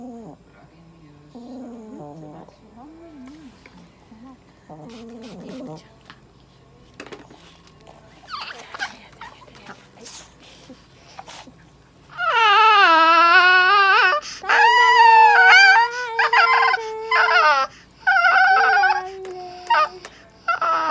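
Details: Toy poodle being treated and given an injection at a veterinary clinic in Nagoya, Japan. Quiet whimpers and rustling give way to loud, high, sustained yelping cries in repeated bursts during handling.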